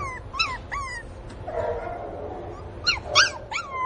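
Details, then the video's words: A Pinscher puppy cries for its absent mother with short, high, sharply rising and falling whimpers and yips. Two come early, then a noisy pause, then a quick cluster of three or four squeals. "filhote de cachorro chorando por falta da mamãe"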